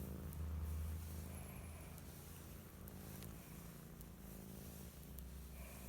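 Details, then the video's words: Sunbathing kitty purring contentedly, a deep continuous vibrating rumble pulsing about four times per second, close and steady, with faint light clicks in the background. "Cute Purring Kitty Enjoy Sunbathing"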